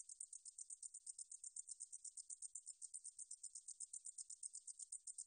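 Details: Singing 등줄어리쌕쌔기, a Korean katydid, recorded for the National Institute of Biological Resources in 2020: thin, metallic pulses repeating quickly and regularly, like a fine ticking buzz, in otherwise quiet surroundings.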